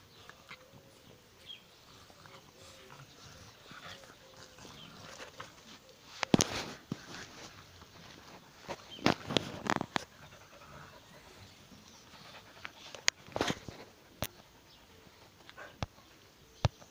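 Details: English-French bulldog mix puppies give brief, sharp yips and whimpers in scattered bursts over a quiet background.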